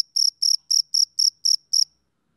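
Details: Seven evenly spaced, high, buzzy chirps from a male cricket on a summer evening, each lasting a fraction of a second, then quiet.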